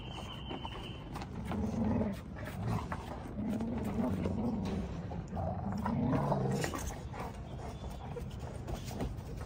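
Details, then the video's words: Rottweiler puppies play fighting with their mother: low rumbling growls in bursts through the middle of the clip, with scuffling and a brief high tone near the start. "ROTTWEILERS: FIGHT LESSONS W/ MOM"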